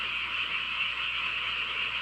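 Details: Frogs in chorus on a country night in a home village. The calls merge into a dense, continuous, shrill trilling wash with an even, unbroken pulse throughout and no gaps.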